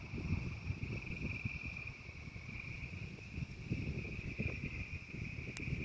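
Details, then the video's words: Frogs singing during a thunderstorm: a steady, unbroken high-pitched chorus drones for the whole clip without pause, over heavy low rumbling and crackling noise from the stormy weather. "The frogs singing to the angry sky."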